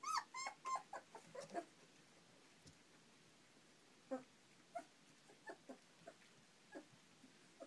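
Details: Playful four-week-old European Basset Hound puppies after breakfast; a burst of shrill yelps opens, then scattered short squeaks and clicks among quiet pauses.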